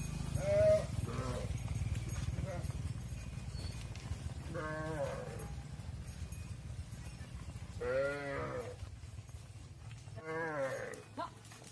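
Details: Cattle on a farm, mother cows entering the barn while their calves stay outside; several wavering, harmonic bawling calls come at intervals over a steady low rumble of movement.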